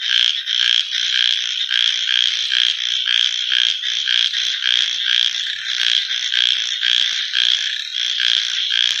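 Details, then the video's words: Night chorus of frogs, a dense high-pitched trilling wall of sound broken by rapid, overlapping croaking pulses that never let up. "Copyright Free Frog Night Sounds"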